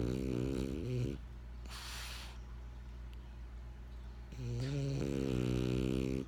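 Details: French Bulldog named Benjamin snoring: two long rasping, harmonic-rich inhalations of about a second each, with a softer hissing breath between them in a quiet room.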